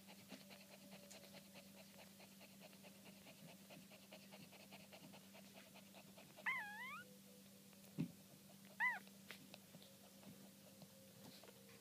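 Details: Yassi, a Maltipoo puppy, gives two short, high, wavering whimpers about two seconds apart, after a person softly calls its name in Arabic, over a steady low electrical hum.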